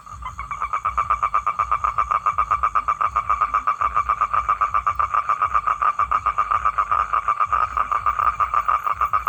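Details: Male toad calling to attract females for mating: a steady, fast pulsed trill held at one mid pitch, about four pulses each second and unbroken for the whole stretch, with faint low background rumble.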